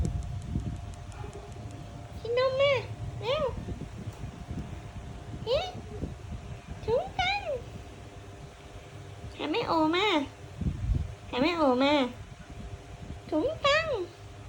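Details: Young kitten meows repeatedly, roughly nine wavering, rising-and-falling cries. Some calls come singly and others come close together near the end. A person talks at the start, and a low hum runs throughout.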